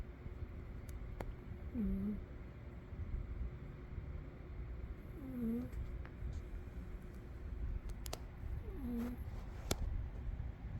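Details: Umi the cat snoring while asleep: soft whistling breaths that dip and rise, three of them about every three and a half seconds, over a steady low rumble.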